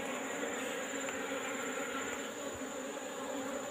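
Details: Asian honey bees (Apis cerana) of a wild colony in a rock hole, being collected in the afternoon: a steady, low droning buzz with layered overtones, unbroken throughout, over a hissy background.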